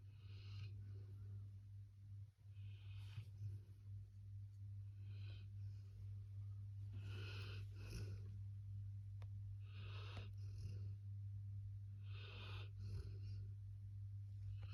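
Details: Labrador Retriever snoring in its sleep: rhythmic, hoarse breaths repeating about every two and a half seconds, each a short rasping burst, with a constant low hum underneath.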